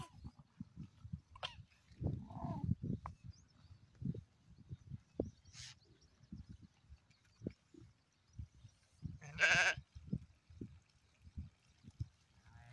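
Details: Black sheep giving one loud, harmonic-rich bleat around the middle, with a couple of short higher calls earlier, all over a steady low rumble and scattered thumps.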